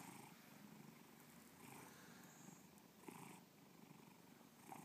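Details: Domestic cat named Bubba purring at close range: a continuous low rumble with gentle surges about every second or so, quiet and even throughout.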